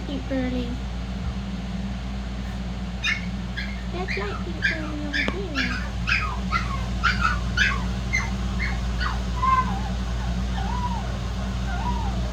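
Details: Shih-poo puppies from Xena's litter give a burst of short, high yips repeated rapidly for several seconds, then thin rising-and-falling whines, over a steady low electrical hum with a woman's voice at the start.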